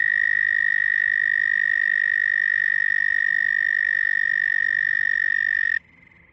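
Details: A frog holds one loud, unwavering high trill for nearly six seconds before cutting off abruptly, leaving only faint background noise.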